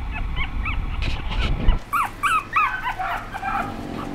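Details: A young female Chihuahua whimpers: thin, high, bending squeaks come in quick succession over a low rumbling background, with some thumps early on.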